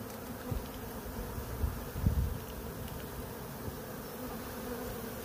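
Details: A swarm of about 20,000 bees running into a box, heard in real time: a steady low droning hum with a few brief louder thumps and rustles.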